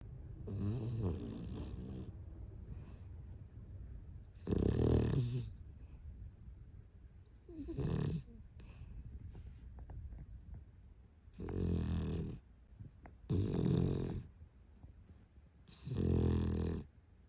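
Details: Yomi, a pet Spitz traveling in Korea, startles itself awake with its own snoring: deep, rasping low snores come in bursts every few seconds, separated by quieter breathing.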